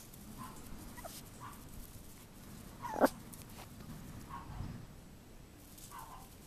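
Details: Playing Chihuahua puppies outside on a warm February day: a handful of brief, thin whimpering squeaks spaced irregularly, one sharp knock midway, and a faint constant outdoor hiss.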